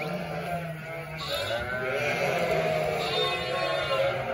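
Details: Sheep flock of roughly 900 ewes and 900 lambs calling together: a steady wall of overlapping quavering bleats, some higher and thinner, others low and hoarse, with no pause throughout.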